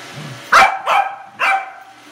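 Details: Corgi barking at a Roomba it has just met for the first time, three quick sharp barks in two seconds, the first the loudest, with faint whirring in the background.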